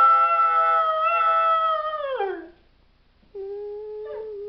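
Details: Howling dog: a long, steady tone held for about two seconds and then falling away, followed after a pause by a lower, flatter howl.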